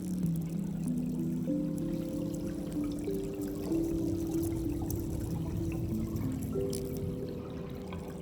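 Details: Steady low tones and gentle music over a soft watery pouring sound, with no animal voice present.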